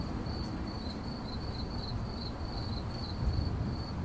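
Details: Cricket chirping, 8D audio: a thin, high, even chain of rapid chirps pulsing without pause, set against a continuous deep rumble and soft hiss.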